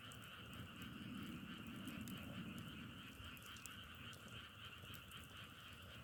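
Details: A continuous frog chorus heard outdoors with firewood burning nearby: pulsing trilled croaks repeat rapidly and evenly, with a low hiss and occasional crackling pops from the fire.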